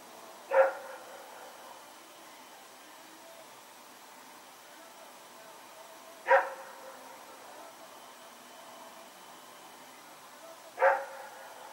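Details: Rex, running around in the night on 21 September 2018, barks three times, single sharp barks spaced about five seconds apart, each clear and loud above a quiet hiss.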